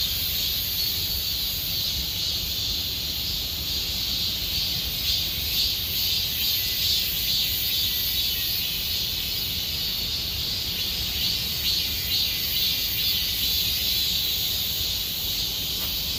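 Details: Cicadas in Gomsol Nuri Forest, Sihwa, during late summer: a steady high-pitched electric buzz with slight rhythmic swelling in its middle band, carried over a quiet low background rumble.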